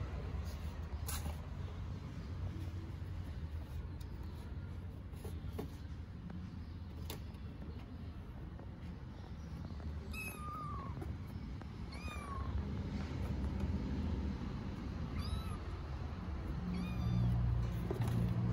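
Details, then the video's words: Stray kittens in Istanbul meowing for their dinner: a few short, thin arched meows, rising then falling, come in a cluster past the middle, then once more, against a constant low rumble of passing traffic. "Kittens meowing for dinner"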